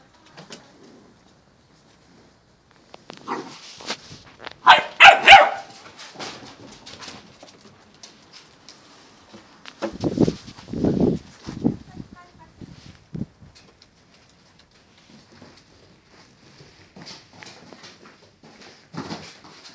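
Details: Eight-week-old male Giant Schnauzer puppy Gelb, B litter, vom Stolzenstern, at play indoors: scattered high yaps and short barks come in two loud clusters separated by quiet stretches, with softer scuffling and small yips between.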